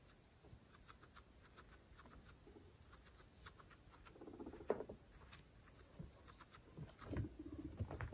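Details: Close-up of pregnant female guinea pigs, kept as a group of 26, eating fresh grass. Fast patter of chewing and tearing grass blades, a soft low rumbling squeak midway, then denser crunching toward the end.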